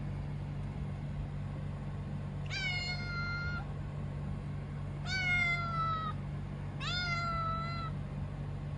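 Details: Three drawn-out, high kitten cries from the kitten Kuro, each about a second long and evenly falling in pitch, arriving every two seconds or so over a persistent low hum.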